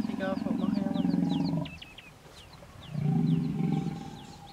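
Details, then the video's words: Female hippopotamus guarding her young against a male in the Vurhami River, Kruger National Park, South Africa; two loud, low grunting roars, the first lasting under two seconds, the second starting at three seconds, while birds whistle in the background. "Epic Stand-off... 2 Hippos Kruger National Park. SOUND ON!!!"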